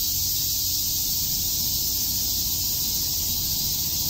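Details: Many cicadas calling together on a summer day in Tokyo's Shakujii Park, producing a constant high, sizzling buzz without breaks over a faint low hum.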